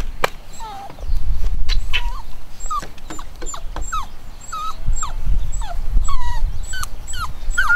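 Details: Nine-week-old chocolate cockapoo puppies from a home-bred litter give rapid high whimpers and yips, several a second with many short hooked squeals overlapping, above low thumping rumble.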